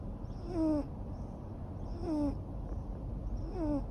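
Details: Neutered male Ragamuffin cat, a long-haired breed born in 2014, snoring while asleep: soft whistled, downward-sliding tones with a faint breathy hiss, repeating about every one and a half seconds in a quiet room.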